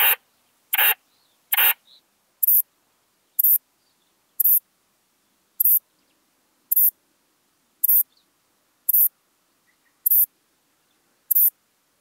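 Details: At Bollenberg, France, 9 October 2022, a Western saddle bush-cricket sings clipped, scratchy, very high chirps spaced almost evenly, about one per second, over a quiet background.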